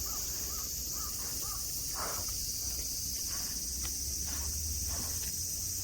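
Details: Cicadas droning over the grassy slopes of Nara Park, Japan, where friendly deer graze under blue sky: a steady high sizzle, with four short mid-pitched calls in the first two seconds and scattered soft knocks afterward.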